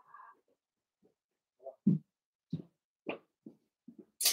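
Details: Five blenheim Cavalier King Charles Spaniel puppies romp with their mother Paris indoors in a puppy pen. Short, low, gruff growl-barks land about every half second, ending in a sharp, bright yelp.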